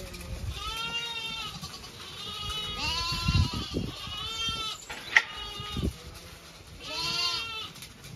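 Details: Several Zwartbles sheep of a flock in County Kilkenny, Ireland, heading to pasture for late afternoon grazing, give quavering, tremulous bleats one after another, with footsteps and rustling below.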